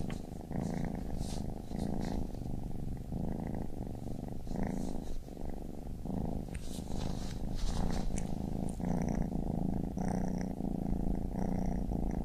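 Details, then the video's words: Baby kitten purring in a dense, close rumble, rising and falling in breath-length waves about every second, with faint rustling and a few soft high tones in the background. "Baby Kitten Purring"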